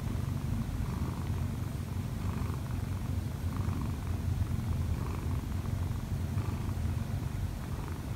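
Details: Purring Munchkin cat Kkobugi, one year and four months old with odd eyes, kneading on its owner to wake her. Even, unbroken low rumble for the whole stretch, faint rustling over it.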